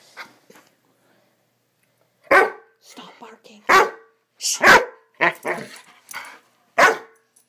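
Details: Swiss Mountain Dog puppy named Bower during one of his excitable "bad dog runs"; after a faint opening, a series of sharp, broadband barks comes in quick, uneven bursts, about eight loud ones packed between two and seven seconds.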